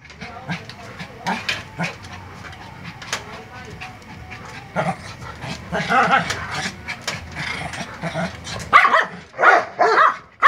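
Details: Dog barking at a Doberman: scattered sharp barks early on, mixed with voices and background noise, then a cluster of louder, rapid barks in the last two seconds.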